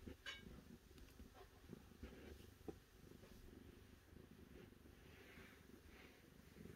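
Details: Quiet, continuous low purring from a cat, an even rumble with a few soft taps and brief rustling noises over the top.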